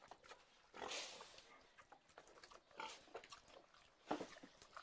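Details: Pig giving a few harsh, noisy squealing bursts, one near the start and two later, separated by quieter shuffling and snuffling sounds.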